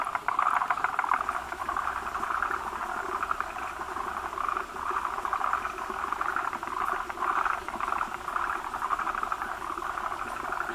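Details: Many male forest green tree frogs around an egg-bearing female at a breeding site with foam egg masses; a continuous chorus of fast clicking rattles, rising and falling in waves.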